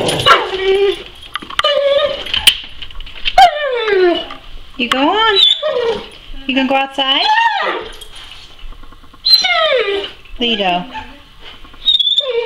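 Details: Indoor male Weimaraner begging to go outside to bark with the neighbour's dogs through the fence; a run of squeaky whines, each sliding downward, repeated every second or two, with a person's coaxing speech between them.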